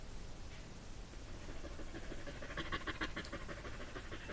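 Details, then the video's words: Dog whose breathing is likened to a steam train: faint, rapid rhythmic chuffing puffs, about three per second, growing louder and more distinct in the second half, over a low steady background rumble. "Funny dog sounds like a steem train"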